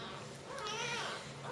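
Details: Baby jungle cat during feeding gives a short harmonic mew that rises and then falls, lasting under half a second, over a steady low background hum.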